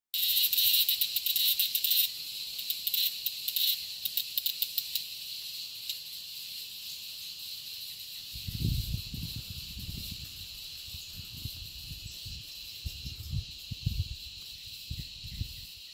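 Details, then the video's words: A giant cicada (Quesada gigas) gives a steady, high, hissing drone that flickers at first, then settles into an even buzz; recorded 22 November 2017 at an eco-lodge in Vargas State, Venezuela. "Chicharra (Quesada gigas)"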